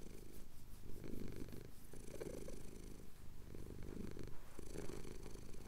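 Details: Domestic cat, male, purring as his chin is scratched, recorded at sunrise over the Cotswold hills on a Tascam DR-07X; a low, steady rumbling purr with soft pulsing swells, little else heard.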